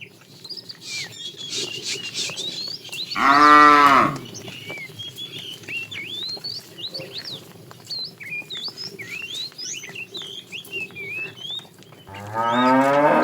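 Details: Fat tame cow in a herd driven along in the afternoon, calling the female: two loud, low, drawn-out moos, one early and one at the very end, with many small birds chirping busily between them.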